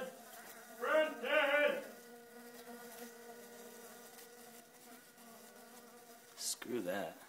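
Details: Bees nesting in a house, in a small spot behind a lightbulb, reached through cracks; a steady low droning hum runs throughout, with brief bursts of human voice near the start and end.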